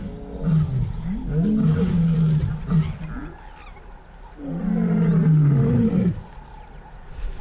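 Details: A lion pride roaring together on Dead Tree Island, Moremi, after sensing rival lions, calling to keep intruders from their territory. Two long bouts of deep, heaving grunts rise then sink, separated by a brief quieter pause.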